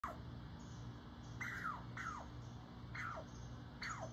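A squirrel scolds a cat with quick, chirpy barks that drop in pitch, repeated about every half second to a second. A steady low rumble of traffic runs underneath.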